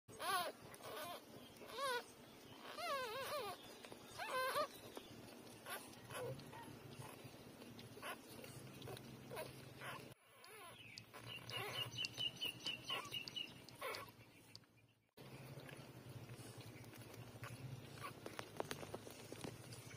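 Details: Three-day-old newborn puppies nursing from their mother; thin, high wavering whines and squeals rise and fall through the first five seconds, followed by quieter shuffling and soft rustling with a faint high tone midway.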